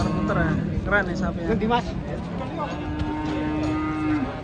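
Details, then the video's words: Large cattle coming down off a truck moo amid background music; a long, level low moo holds for nearly two seconds after several shorter broken cries. "KUMPULAN SAPI MONSTER TURUN DARI TRUK 2023"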